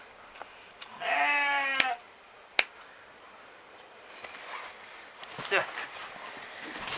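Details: Romanov sheep bleating while its hooves are trimmed in spring, Tver region, Russia; one loud, shaky, vibrating bleat near the start, followed by sharp knocks, rustling and faint handling noise.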